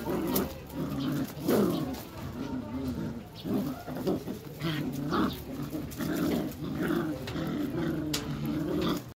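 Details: Belgian Malinois puppies playing tug of war give steady, low rasping growls in short pulsing bursts through the whole stretch, with a faint human voice in the background.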